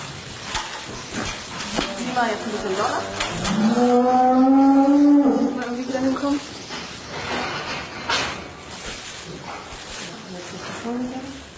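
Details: Cattle at a calving, a cow mooing loudly in a long low bellow that rises, holds for several seconds, then fades, with a shorter moo near the end amid handling noises and rustling in a barn.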